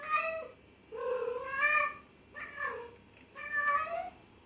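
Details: Cat meowing loudly indoors: four clear, nasal meows, each roughly half a second to a second long, repeated about once a second with short quiet gaps between.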